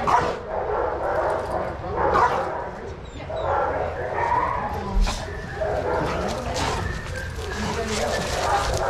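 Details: Several dogs playing together in a shelter yard at Pima Animal Care Center, Arizona, watched by handlers; overlapping barks and yips burst out in quick clusters, with human voices talking underneath throughout.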